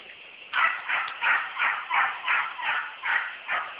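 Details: Purebred American Beagle hunting dog in pursuit of a wild boar, giving its chase bay: loud, ringing barks repeated about three per second in a steady, driving rhythm after a brief quiet start.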